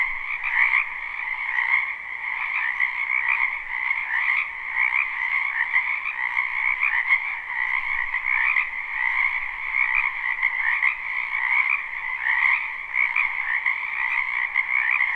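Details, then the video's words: Spring wetland frogs in full chorus, captured live with no looping: continuous overlapping croaks form a steady buzzing wall of sound in two bands, with loudness gently swelling and easing throughout and no other sounds. "Ambient Noise for Sleep Frogs"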